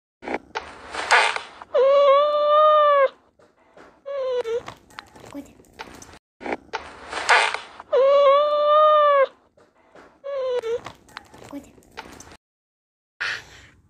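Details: A domestic cat meows over and over: two long, arched, clear meows and two shorter falling ones, with brief breathy noise bursts in between, in a small indoor room.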